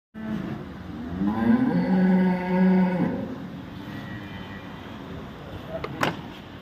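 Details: Cow at Chopra dairy farm in Samora village, Karnal, Haryana, giving one long low moo with a rising, wavering pitch lasting about three seconds, followed by quieter farm background and a sharp knock near the end.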